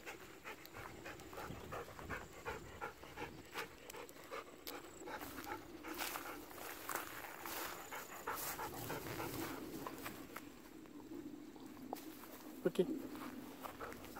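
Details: Golden Retriever out on an evening walk, pestering for persimmons that are still unripe; soft continuous panting under a noisy outdoor backdrop, with a few sharp clicks and a faint rustle.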